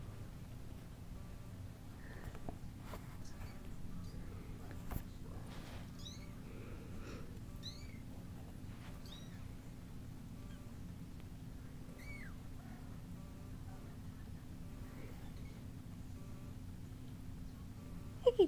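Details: Kittens with their mother cat, making many thin, high-pitched mews scattered across a quiet stretch, some with a rising then falling bend, over low steady background hum, with a few soft knocks and a louder mew at the very end.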